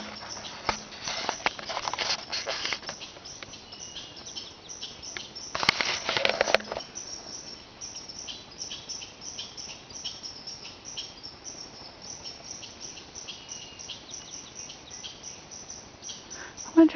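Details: Upset wild red squirrel chattering in alarm, as red squirrels do when an animal comes into their territory: two dense bursts of harsh, rapid rattling, one early and one midway, then faint scattered ticks and rustling.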